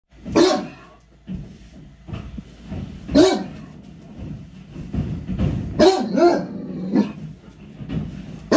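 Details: Great Dane barking at his owner, an adult male dog; loud deep barks with a howling quality come in bursts near 0.4, 3.2 and 6 seconds, with softer grumbles and huffs filling the gaps, and faint music underneath.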